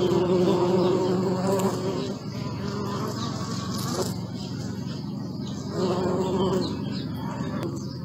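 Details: Bee. Bees hum with a continuous low buzz, several wings blending into one wavering drone. The sound grows louder at moments as individuals fly near, then settles back into a softer hum.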